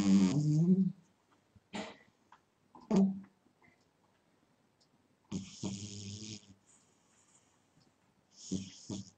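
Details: Pet cat asleep indoors, snoring unevenly: a strong low rasping snore at the start, then shorter buzzy breaths and faint clicks, with a longer hissing snore near the middle and another toward the end.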